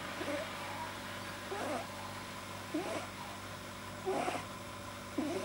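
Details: Pet male rabbit, deeply relaxed, recorded 9 January 2010, whose vet-diagnosed overlong soft palate makes odd noises: faint, soft snorting puffs with a nasal edge, spaced about every second over a steady background hum.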